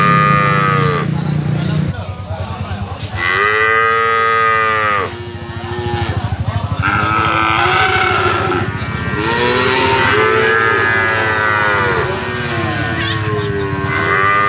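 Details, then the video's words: Medium-sized slaughter-ready Bali cattle at a livestock market, calling with repeated strong moos, harmonic and slightly arching in pitch, roughly every one to three seconds, with market chatter and low background rumble. "SAPI BALI SIAP P0T0NG UKURAN MEDIUM, JOGROG DI PASAR HEWAN"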